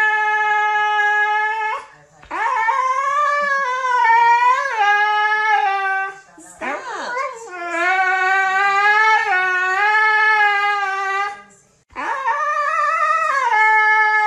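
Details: A female Siberian husky "sings" for her owner, howling in long, wavering, tuneful notes that bend up and down in pitch.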